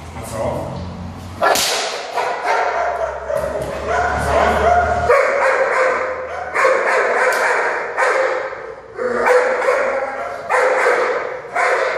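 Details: A 7-month-old Belgian Malinois being worked in training gives loud, sharp barks in quick bursts, often about a second apart, mixed with handlers' spoken commands and scuffling.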